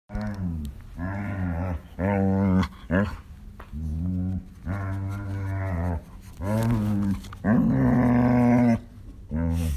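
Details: Shetland Sheepdog groaning indoors: a run of long, low, harmonic moans, some rising and wavering, a few squeakier whines, separated by brief pauses.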